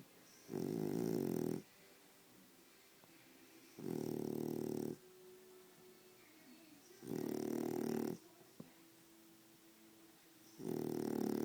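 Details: A male French Bulldog snores loudly while sleeping, a harsh rasping rumble about every three seconds.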